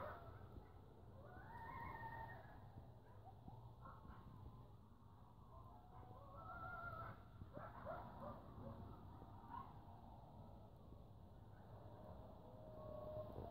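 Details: Close coyotes calling noisily give wavering, rising and falling howls mixed with quick yips over a low rumble.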